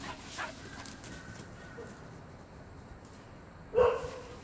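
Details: Pet Welsh Corgi Hodu during a game of catch with a ball. One short, sharp bark bursts out near the end after several quiet seconds. Faint household background.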